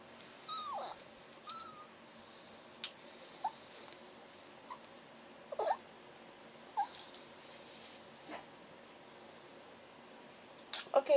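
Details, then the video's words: Chihuahua puppy indoors making brief high whines and squeaky yips while having air blown on its ears to warm them, short vocal bursts scattered between quiet gaps, a woman's soft voice nearby. "Chihuahua #1 (Cashew) Talks with his mommy"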